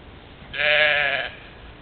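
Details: European mouflon from a herd playing at a waterhole in the morning, Czempiń forest district, Wielkopolska, Poland, 13 July 2018, captured by a trail camera; a single harmonic, slightly wavering bleat lasting under a second over faint background hiss.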